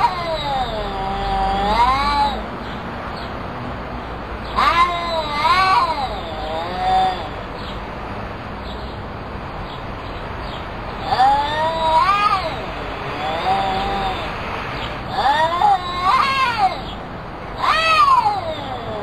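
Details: Two cats meowing back and forth as if talking to each other. Long, wavering, harmonic-rich meows rise and fall in pitch, some drawn out into yowls. They come in bursts of two or three about every few seconds, with quiet gaps and faint background hiss.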